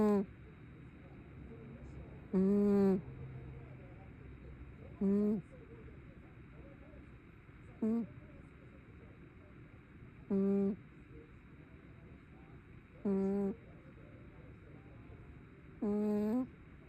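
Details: Brown tabby cat asleep and snoring: short, tonal, nasal hums with a rich harmonic buzz, repeating roughly every two and a half seconds in a steady rhythm, with quiet pauses between breaths.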